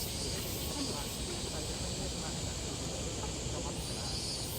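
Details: Minmin cicada near Tokyo Big Sight on 12 August 2023: loud, steady high droning with a slow pulsing rhythm in the upper tones, over heavy city traffic rumble.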